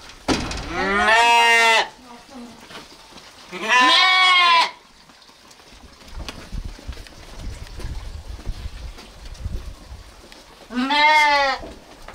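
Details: Sheep (Ovis aries), bleat.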